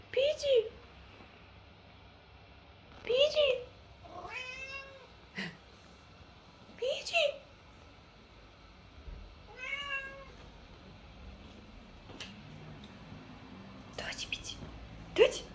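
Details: Male Siamese cat, a lynx or tabby point, meowing to his owner because he wants something: about seven short harmonic meows of varying pitch, some rising, roughly every two to three seconds, in a quiet indoor room.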